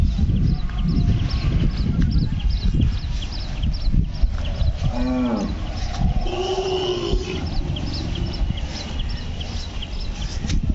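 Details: Hallikar bull calf at the Kelamangalam cow market, giving two short lowing moos around the middle: the first falls in pitch, the second is held level. Steady low rumbling noise and repeated high chirps run through the background.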